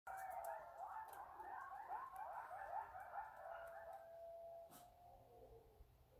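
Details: Coyotes at night in Albuquerque, a chorus of overlapping, wavering high howls and yips that gradually thin out to a single long, steady note near the end.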